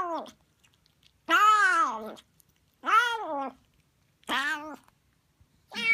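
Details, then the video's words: Siamese kitten Harley, a new female, noisy while eating sardines; loud arched meows with rich harmonics, roughly every one and a half seconds, each falling at its end, in a quiet room. "Noisy Siamese Kitten Eating"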